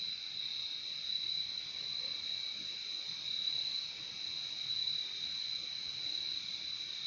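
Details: Crickets form a dense, unbroken high-pitched chorus, a steady shimmering trill with a fainter lower band beneath it, holding an even level throughout with no other clear sounds.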